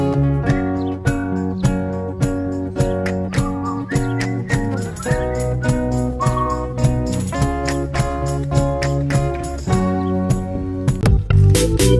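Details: Upbeat plucked-guitar music with a steady beat fills the whole recording, and no animal sound is heard.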